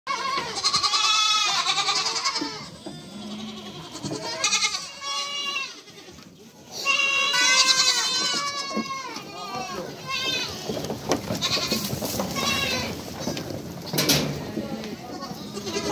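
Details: Young goat kids meeting, a dense chorus of overlapping high, quavering bleats, many arched calls following one another with hardly a pause, a brief lull near the middle before the bleating swells again.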